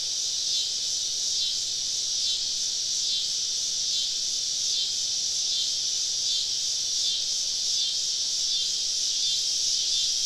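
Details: Many cicadas surround a woodland campsite on a southern summer evening, producing a constant sizzling high drone that pulses slightly in intensity without breaks.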